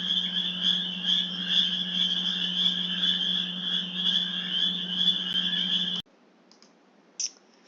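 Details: A dense spring breeding chorus of male northern spring peepers in a Michigan wetland: many high, piercing peeps overlap into a jingling, sleigh-bell shimmer, as the chorus sounds from a distance.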